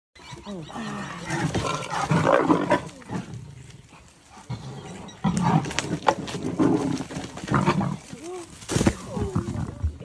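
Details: A young female leopard at MalaMala Game Reserve, South Africa, steals a freshly killed duiker from her mother high in a tree, giving deep, rasping growls and snarls, with people's voices murmuring in the background.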